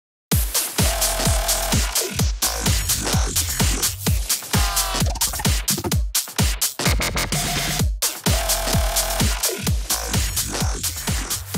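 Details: Pounding electronic dance music with a steady four-on-the-floor beat and bright synth layers fills the whole stretch. No animal calls come through.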